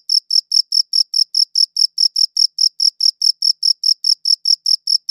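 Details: Crickets chirping, captured on a high-quality audio recorder: a steady run of short, shrill, high-pitched chirps repeated at a fast, even pace, each chirp a clear ringing pulse, with complete silence between them and no other sounds.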